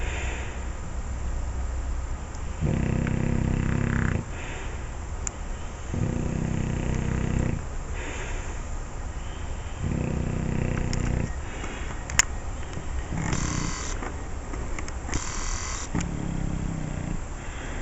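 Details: Sleeping male Olde English Bulldogge, shortly after barking in a dream, snores steadily: low rattling inhalations roughly every three to four seconds, each about a second and a half long, with soft hissy exhales between and a faint click.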